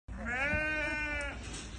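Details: Dorper sheep at a production auction at the Warmbad livestock market, Bela-Bela, on 10 May 2025, giving one steady, rich, nasal bleat of just over a second that ends abruptly, over a low rumble of background noise.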